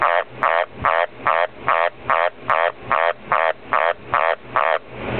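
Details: A captive Dumpy tree frog, a male, croaking after some coaxing: a steady series of twelve harsh, pulsed croaks, each about a quarter second long, repeated roughly every 0.4 seconds, in a quiet indoor setting.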